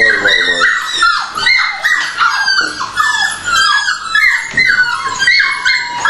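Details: Dogs waiting for food at feeding time, a steady run of high, downward-sliding whines and yelps, one after another, over Finnish speech in a small room.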